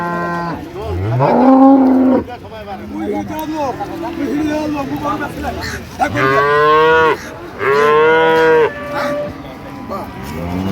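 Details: Dairy cows of an improved breed with calves at the Ambari cattle market in Dinajpur, 28 September 2025: three loud, drawn-out harmonic moos, the first rising then sliding down, the later two steady and about a second long, with market chatter behind.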